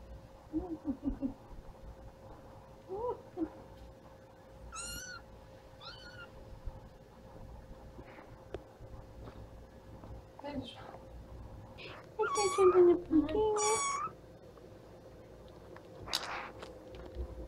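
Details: Cute kittens at play indoors, giving several high, drawn-out meows with rising then falling pitch, some in quick pairs and a louder, wavering cluster near the end, over a steady low hum and faint room noise.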